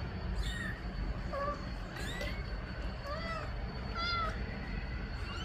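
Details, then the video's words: Meowing mother cat asking for her kittens to go back in the nest; softer, fainter curved meows come in a loose series, partly masked by low-pitched background noise and brief knocks. "Mamãe gata mia pedindo para colocar os filhote no ninho"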